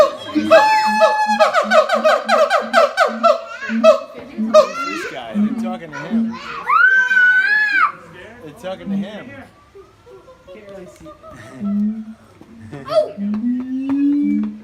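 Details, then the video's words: Siamang parents in a harmonized duet, the youngster silent and holding on to its mother; rhythmic low booms with stacked barking notes, then a long rising-and-falling whoop, followed by quieter scattered calls as children chatter and laugh nearby. "フクロテナガザルの鳴き声 siamang harmony ハーモニー"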